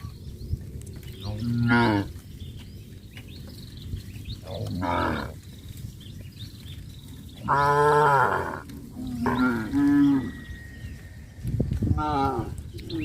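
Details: Herd of cattle walking and jumping in a rice field area of a traditional village farm; repeated moos of varying length and loudness come from several animals, some near, some farther off, over steady low noise.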